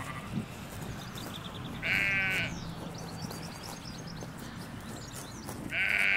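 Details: Ewes and lambs grazing a field in the Hampshire countryside, captured on stereo microphones beside a hedge: a bright, nasal bleat near two seconds and another at the end, over soft birdsong and a low background hum.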